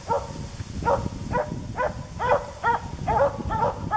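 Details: Dogs barking at a forest animal outdoors, a steady run of sharp, harmonic barks repeating roughly every half second, with a low rumbling background.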